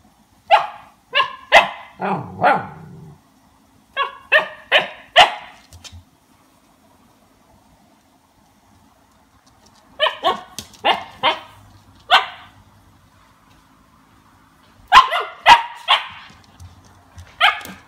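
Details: A 2-month-old Siberian Husky puppy reacts after tasting lemon for the first time, giving bursts of short, sharp yips and barks in clusters of three to five, with quiet pauses between groups.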